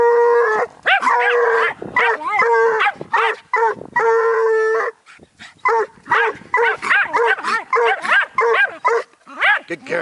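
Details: A Bluetick Coonhound pup and a Jack Russell bark at a raccoon. Long, steady whining tones and yelps alternate with choppy barks, and a man speaks encouragement to the dogs between calls.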